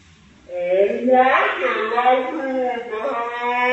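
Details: Fighting cats, said to be brothers, give a long drawn-out yowl that swells into a strained, rough peak, then holds a quivering, moaning tone for several seconds.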